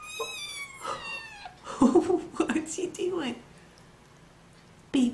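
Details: High, thin kitten meow sliding downward at the start, quickly overtaken by a person chattering in baby talk.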